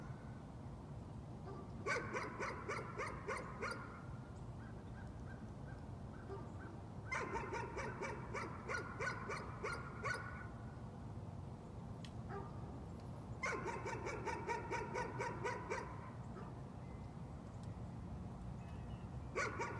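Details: Repeated nuisance barking by a dog, arriving in three main volleys of fast, evenly spaced yaps, each roughly two to three seconds long, separated by several seconds of steady low background hum.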